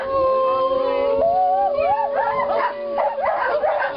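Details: Greyhounds howl with long sustained tones, one held steady underneath. Others swoop up and down in wavering, rolling cries that grow busier toward the end.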